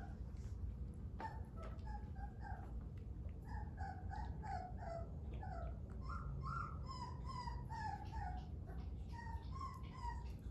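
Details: Three-week-old Dogo Argentino puppies whimper in a steady run of short, high, tonal whines that slide up and down, overlapping one another across the whole stretch over a low steady hum.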